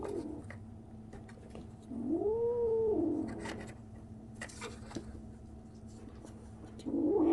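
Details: Strange noise from a 37-day-old kitten: one drawn-out arched meow lasting about a second, rising then falling, followed by quiet rustling and a short rising cry at the end over a constant low hum.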